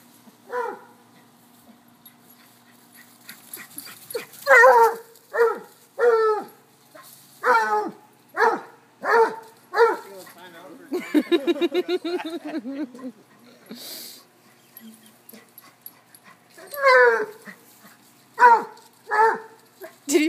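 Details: Three playful dogs, a cocker-hound, a Basset and a corgi, chasing one another. A long series of strong, regular barks comes about once a second, with a brief rapid rattling patch in the middle.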